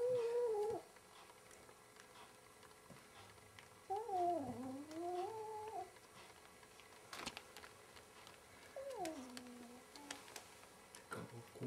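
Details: Domestic cat fighting its own mirror image indoors gives three drawn-out, wavering yowls: a short one at the start, a long bending cry rising and falling near the middle, and a descending moan near the end, with faint room knocks between.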